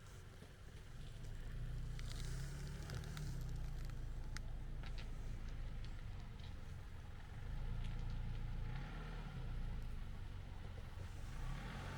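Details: Steady low engine rumble from a passing vehicle fills the street scene, with faint scattered clicks above and no animal voice.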